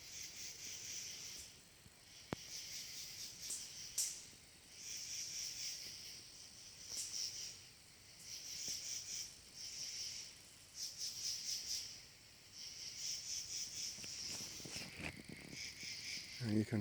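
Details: Katydids calling up in a tree at sunset during a camping trip at Blue Knob: soft, shrill, raspy high-pitched bursts in uneven runs, with short pauses between groups and a few faint clicks.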